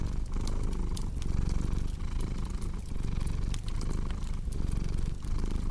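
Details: Low, even purring from a cat, pulsing gently with its breathing, while a fireplace crackles and pops in the background.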